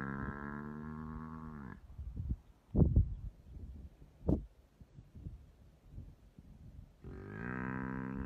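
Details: A drawn-out, strained bellow opens and another closes the sequence as a hyena eats a sleeping buffalo alive; between the cries come heavy thuds, crunches and scuffling.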